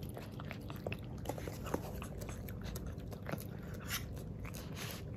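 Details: Jiro, a young male black-and-tan Miniature Pinscher puppy, eating unsweetened plain yogurt for the first time indoors, recorded ASMR-style: soft wet licking and smacking clicks scattered irregularly over a low steady room hum.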